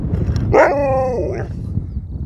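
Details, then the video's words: Chatty pet dog Sherpa answers his owners with one sustained, moaning yowl of nearly a second, steady then dipping at the end, amid low-frequency wind or handling noise between spoken remarks. "This dog wont stop talking!"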